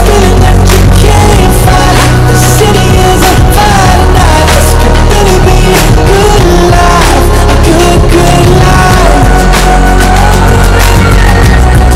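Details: Loud pop music with singing and a steady heavy beat fills the whole stretch, with no animal voice heard.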